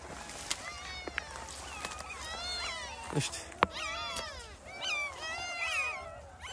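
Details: Puppies left out in the open, crying in bushes during a heavy downpour at a dog rescue; repeated high, wavering whimpering cries with harmonic bands, several overlapping, with rain noise and a few sharp knocks.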